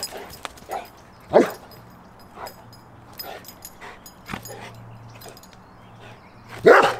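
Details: Cane Corso on day 3 of training to bark on command while looking forward, rewarded with a ball. Two short, sharp barks come about five seconds apart, with soft clicks, faint rustling and a low steady hum between them.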